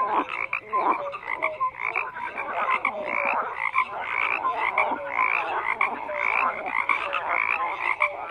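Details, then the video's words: Many frogs croak together in a busy, unbroken chorus of raspy trills, with quick high chirps and short whistled notes scattered throughout. Nothing else is clearly heard. "FROGS CROAKING"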